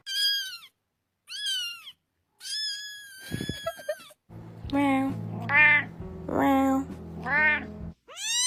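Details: Cats meowing in a string of short, rising-then-falling mews, some thin and high, others longer and wavering, with a low steady hum and soft background noise under the later calls.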